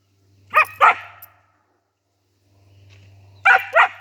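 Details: A Siberian Husky playfully barks at a rooster, giving two pairs of sharp, quick barks about three seconds apart over a low steady hum.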